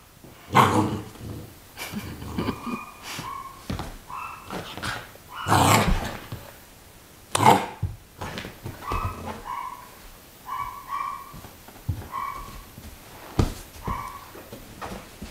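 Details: Great Pyrenees male puppy at 51 days, in play: loud gruff barks mixed with flat, steady whines and squeaky yelps, some grumbly sounds, and occasional thumps and rustling.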